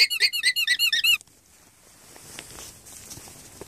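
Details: Alpacas on a farm in Unity, Maine, alarming at a fox in the morning. There is a rapid burst of about eight high, squeaky, toy-like calls in just over a second, then near quiet with faint background noise.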